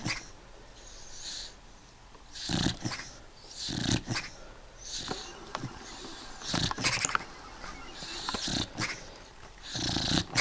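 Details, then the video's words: Sleeping eight-year-old beagle snoring, uneven breathy rasps and snuffles with sharp clicks between breaths, several snores spread over ten seconds, soft and close. "Snoopy snoring"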